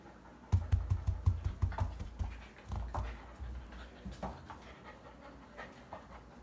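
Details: Close, heavy panting of a Bakharwal kennel dog: strong deep huffs in a fast steady run for the first two seconds, then looser, softer breaths tapering off.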